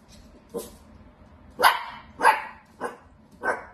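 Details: Playful Dachshund, a sausage dog, barking while playing: five short, sharp barks at uneven gaps, roughly one every half second to second, with a faint low hum in the background.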